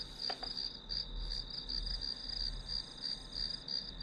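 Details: Grass insects sing a sustained high chirping band with slower pulses, plus a brief click or tap near the start and low background rumble.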